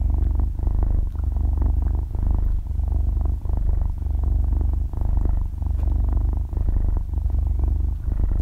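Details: Young kitten about half a year old purring as it sleeps, captured at extremely close range without speech or background music; continuous deep vibrating rumble pulsing in regular breath cycles.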